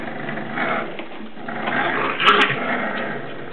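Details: Seven-week-old English Bulldog puppies play indoors, grumbling and growling in a rough, continuous play noise.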